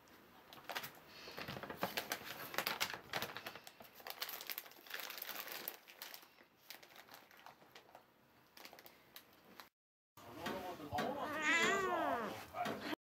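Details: Excited male house cat waiting for dry kibble cat food indoors; long stretch of crinkling, rustling bag and clicking sounds, then a short pause and a clear, arched, harmonic meow rising and falling near the end.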